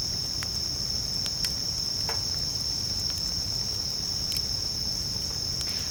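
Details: Bell cricket song at a camp by a bonfire: an unbroken, shrill ringing tone holds steady while occasional crisp pops from the fire punctuate it.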